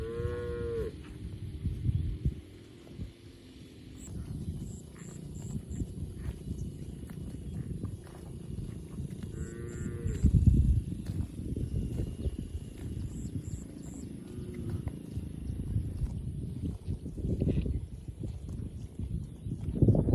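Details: Tame cattle herded through a wide oil palm plantation on their daily grazing routine. Two brief, low moos, one at the start and one midway, rise over a steady rumble of footsteps and rural background, with faint high chirps above.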